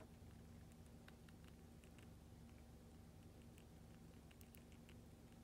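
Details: Small chewing and licking clicks from Mini Goro the hamster feeding on a Lactobite lactic acid bacteria treat, sparse sharp ticks over a steady low background hum.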